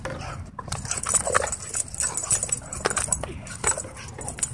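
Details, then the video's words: Excited dog at a dog park, letting out quick high whimpers and short sharp barks, several bursts a second apart, over constant outdoor hiss and low background rumble. "Dog Goes Crazy At Dog Park"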